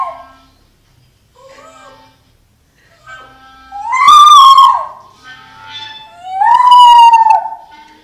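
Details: Two-year-old female Jack Russell terrier named Lilly singing indoors: faint soft tones at first, then two long, loud howled notes, each about a second, wavering slightly and sliding downward.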